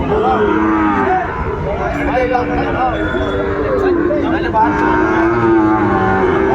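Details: Sahiwal bull calves at a cattle market late in the day on 3 January 2024; drawn-out lowing moos rise and fall over steady crowd chatter, with people talking and bargaining throughout.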